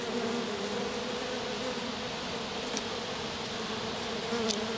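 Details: Honey bees of a small swarm resting in grass beside their lone queen, the rest having returned to the hive; even, unbroken humming drone with occasional brief ticks and crackles.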